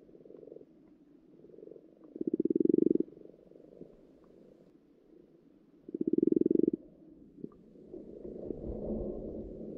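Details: Underwater in a pond at spawning time, frogs give two loud, pulsed, rattling croaks about four seconds apart, each under a second long, over a quieter background of softer purring croaks from other frogs.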